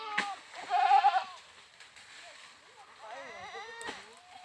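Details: Goat bleating in a short, wavering, nasal call near the start, followed later by a second quieter quavering bleat, with faint background noise.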